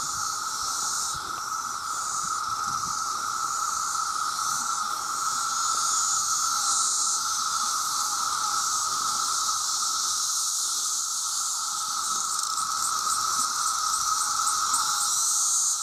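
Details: Millions of male cicadas crying out for mates, very loud: a dense, hissing high-pitched wash of sound over a steady lower drone, continuous throughout.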